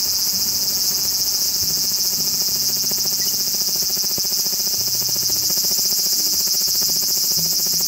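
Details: Large brown cicada, Graptopsaltria nigrofuscata, giving a continuous, dense sizzling hiss high in pitch, steady in loudness throughout with a fine rapid pulsing texture, like oil spitting in a hot pan; faint low rumbling underneath.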